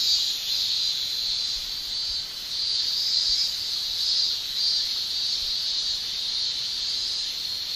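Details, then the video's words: Cicadas in Japan in summertime, males singing by buckling their tymbals. A continuous shrill hiss-like whine with slow, soft pulses in loudness; no other clear sounds apart from the unbroken insect chorus. "Japan Summer Cicada Shrilling"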